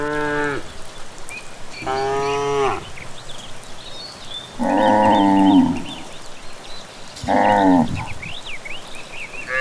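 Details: Cattle heading back from grazing in the evening along a rural village path, mooing four times in under ten seconds, long harmonic lows some rougher and lower; birds twitter softly behind.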